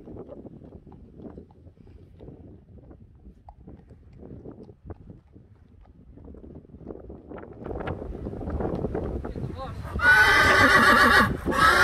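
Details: Friesian mare Queen Uniek lets out a loud, quavering, richly harmonic neigh lasting about a second and a half near the end, after a long stretch of wind rumble and soft thuds.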